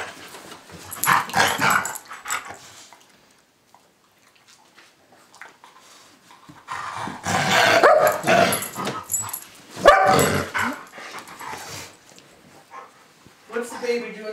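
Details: Pit bull pup Cosmo and his big brother, golden retriever Bailey, play fighting: rough growls and snarling bursts come in clusters, with a quiet lull in the middle, then a louder spell of scuffling growls and a voice at the end.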